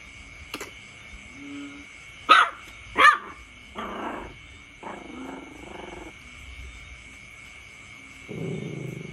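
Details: Puppy barking at its father, the offspring of a brother and sister: a few sharp barks and yips in uneven bursts, followed by lower growly barks, with a steady high tone in the background.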